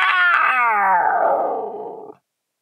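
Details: Coyote at Indian Wells during a thunderstorm: a single loud, wavering howl that starts high and slides steadily downward over about two seconds, rich in harmonics, then cuts off abruptly.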